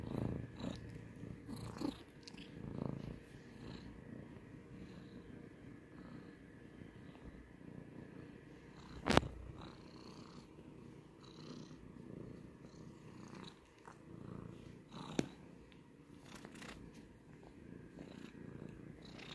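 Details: Domestic cat purring indoors, a soft low continuous rumble with rhythmic breathing pulses, one sharp click near the middle and a few faint rustles.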